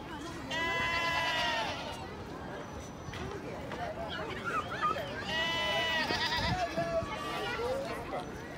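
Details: Goats at a goat farm in the Amsterdam Forest, Netherlands; long wavering bleats, one early and another later, over steady background chatter of people.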